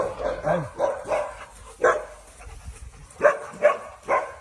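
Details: Alaskan Malamute giving a string of short, mid-pitched woo-like vocal calls, some rising then falling, delivered in uneven bursts roughly every half second with brief pauses between groups.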